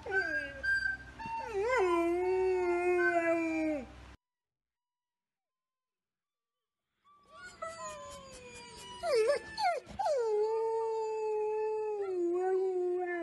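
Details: A 2.5-year-old male Golden Retriever "sings" to a recorder tune, howling in long, wavering, sliding tones that break briefly before resuming.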